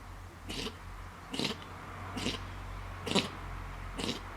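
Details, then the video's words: A fox sneezing repeatedly: five short, sharp, breathy bursts spaced roughly one second apart, each spreading from low to high pitch, over a steady low background hum. "Sneezing Fox"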